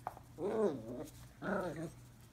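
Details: Two-month-old Scottish Terrier puppy playing with his ball indoors gives two short, high whining whimpers, each about half a second, with rising-then-falling harmonic tone, separated by a brief pause; faint low hum in the background.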